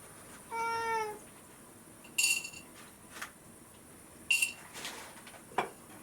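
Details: Indoor rescued cat waiting for its late morning meal gives one clear, slightly descending meow, followed by bright clinking and tapping sounds like dishes in a small room.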